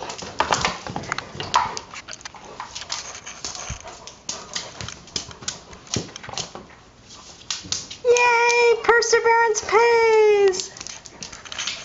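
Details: Irish Setter named Remy, indoors, struggling to get his soccer ball out from under a microwave cart. Near the end he gives a short run of clear, tonal, slightly falling whines. Before that there is soft rustling and a woman speaking.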